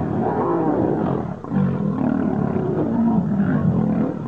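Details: Lions fighting: rough, low rumbling growls and snarls run without a break, loud and steady, with one brief dip in volume shortly before halfway.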